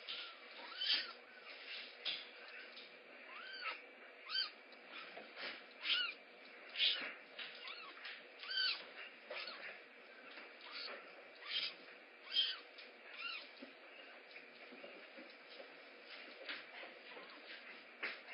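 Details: Rehab kittens Mare and Kaye at Big Cat Rescue calling while waiting for breakfast: a steady stream of high, arched, mewing cries, often several in quick succession, with short rustling and knocking noises between them.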